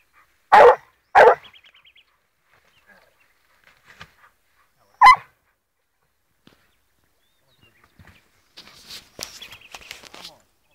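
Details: Blue griffon bitch, fourteen months old, trailing wild boar scent and giving tongue: three loud, sharp barks in the first seconds, then a later single bark, with rustling and movement near the end.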